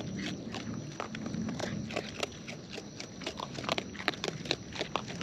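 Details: Close-up chewing of wild raccoons while eating: continuous crackling crunches and snappy bites come thick and fast over a low, muffled background rustle.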